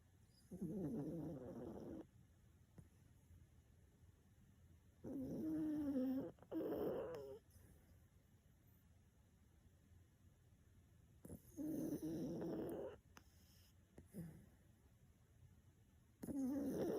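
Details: Elderly, plump black toy poodle of 6.5 kg sleeping soundly and snoring: rough, rasping bursts about one to two seconds long recur every few seconds, separated by quiet breathing pauses.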